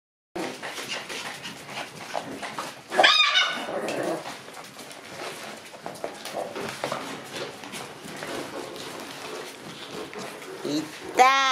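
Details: Group of lively Shiba Inu puppies, yelping and squealing in a busy, overlapping chorus. A sharp high-pitched yelp bursts out near three seconds and another at the very end, over constant scuffling and rustling.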